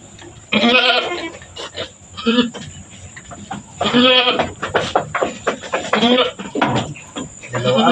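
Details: Goat in labour on a small farm, bearing two kids in a row; repeated shaky, nasal bleats at irregular intervals of about two seconds, mixed with nearby human voices and handling noises.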